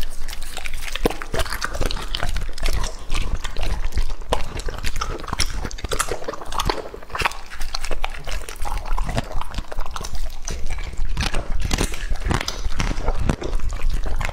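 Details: Lucky, a two-and-a-half-year-old English-type Labrador Retriever, chews raw meat at close range: continuous moist smacking and biting, uneven in rhythm, with occasional sharper crunches across the whole stretch.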